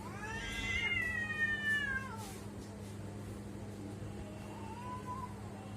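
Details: Domestic cat making a weird sound: a long drawn-out meow with stacked harmonics, slowly falling in pitch over about two seconds, then a softer short meow near the end, over a steady low electrical hum.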